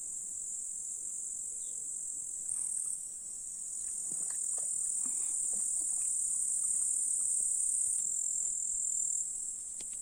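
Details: Meadow grasshoppers of the Russian countryside in July, near hills and a lake, keep up a dense, high-pitched, unbroken buzzing hiss, a second shrill layer joining for several seconds midway, with soft scattered ticks below.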